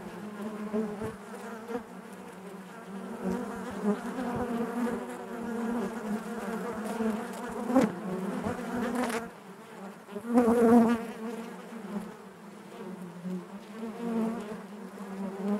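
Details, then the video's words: Honey bees buzzing inside their hive: a dense, steady drone of many wings, low hum with stacked overtones, swelling and fading, with brief louder surges near the eighth and eleventh seconds and scattered clicks of bees bumping about. "bees therapy hive natural buzzing sound"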